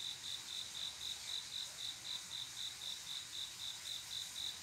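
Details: Cricket chirping at night, a male singing to call a mate: short pulsed chirps repeated about four per second in a regular rhythm, with a soft background hiss and nothing else prominent.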